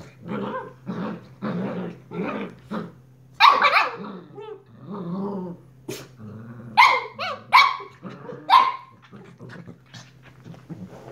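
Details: A young Shiba Inu pup, leaping fiercely, barks in quick, choppy bursts, some high and yappy, others rough and growly, over a low hum as a person murmurs briefly.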